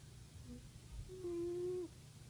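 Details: Lani, a pet cat, snoozing on her perch in the sun and snoring: a soft nasal whistle held for about half a second, preceded by a couple of faint short squeaks, over low indoor hum.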